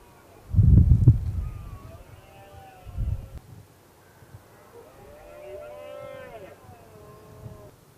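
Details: Red deer stag roaring during the 2016 rut, where a dominant male faced a lone challenging rival; a drawn-out harmonic bellow rises then falls mid-clip after heavy low rumbling thumps of wind or handling noise.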